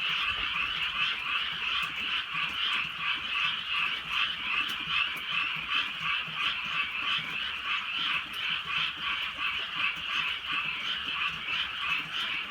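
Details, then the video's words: On a drizzling countryside night, a crowd of frogs keeps up a loud, even croaking chorus, rapid pulses rising and falling slightly, with light rain faintly audible. "개구리 소리"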